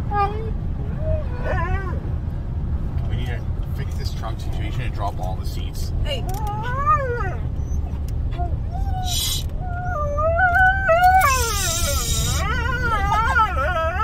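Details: Riding in a car, two Siberian huskies give short whines and clicks early on, then louder swooping, wavering howls in the second half. Continuous vehicle rumble and bursts of hiss accompany the calls.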